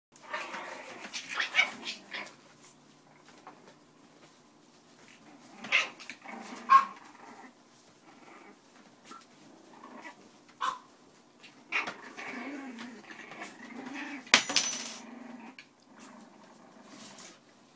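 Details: Boston Terrier puppies giving scattered short, high whines and yips spread across the recording, separated by quiet gaps, with shuffling and rustling noises and a brief sharp clatter near the end.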